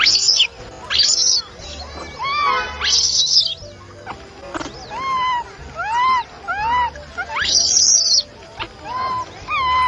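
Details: Young monkeys fighting on a tree trunk give loud, arching squeals mixed with harsh, high screeches.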